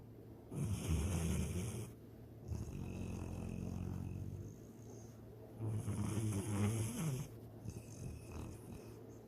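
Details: Pet dog named Sydney snoring while dreaming of chasing a rabbit and swimming in the lake; low rasping snores in long bursts around one second and four seconds apart, with quieter breathing between.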